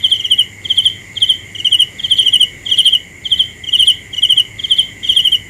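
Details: A single cricket gives bright, trilled chirps in a quick, slightly uneven rhythm, around ten bursts in five seconds, against a steady high insect hum.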